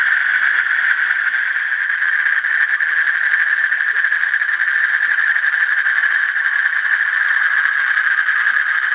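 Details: Unbroken, rapidly pulsed buzzing trill from an Asian common toad, level in pitch and loudness throughout, with a faint soft rustle in the background.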